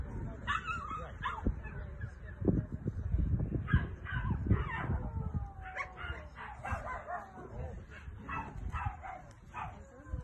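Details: Rottweiler female named Carma during protection training with a helper, barking in repeated bursts, roughly one to two per second, mixed with low rumbling noise and some human voice.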